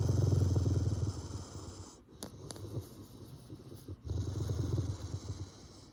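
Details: A grumpy Rottweiler gives a low, rumbling growl that fades and then swells again.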